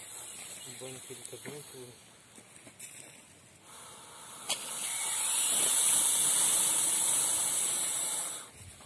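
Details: Hissing from a large Indian rock python: men talk briefly, then a long breathy hiss swells and holds for about four seconds before cutting off, with handling noises around it.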